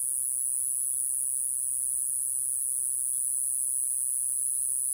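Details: Mogannia minuta cicada, the smallest cicada in Japan and the earliest to sing each year, recorded in Okinawa. It gives a steady, unbroken, very high-pitched buzzing drone that holds level throughout, with a few faint short chirps in the background.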